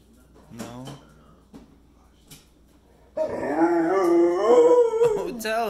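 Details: Pet pit bull howling to ask its puppy brother to play: a long, loud, wavering tonal howl that bends up and down for about two seconds. It follows quieter short vocal bits, with a woman speaking nearby.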